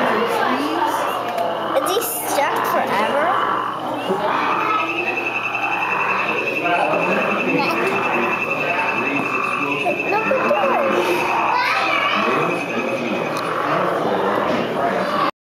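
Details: A male golden poison frog (Phyllobates terribilis) gives a long, steady, high-pitched buzzing trill, calling for a mate with throat sac expanding, over a murmur of voices.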